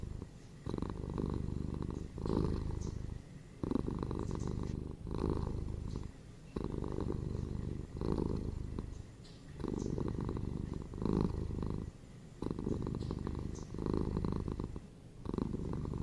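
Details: Close purring from a pet cat, a continuous low throbbing drone that alternates between loud stretches and brief softer gaps about every three seconds, steady and rhythmic throughout.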